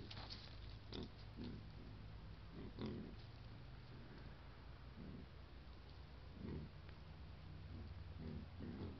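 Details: Wild boar herd with piglets filmed by a camera trap in Foreste Casentinesi National Park, Italy: short low grunts scattered through the clip, some in quick pairs, over steady low background rumble.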